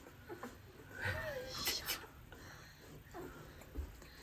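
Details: Rottweiler puppies, eleven days old, growing fast and now standing to walk on strong legs; a single thin wavering whine rises and falls, mixed with a person's voice and soft breathy noises indoors.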